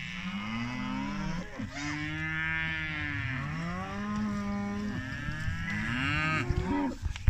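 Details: British Friesian maiden heifers, a group of 25, giving long, drawn-out, resonant moos that overlap one after another almost without pause, with some bending upward and downward in pitch.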